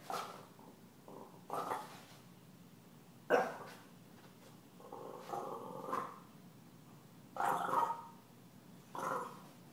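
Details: Stella, a pet puppy, reacts to being taunted by Gomez, a deaf cat: short sharp barks break through between drawn-out, tonal whining and growling calls, with quiet gaps between outbursts.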